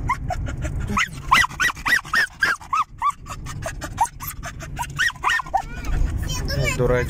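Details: A male German Jagdterrier, happy to ride along in a car, gives a rapid series of high, arching yelps and whines for several seconds over a steady low engine rumble, with people talking in the background.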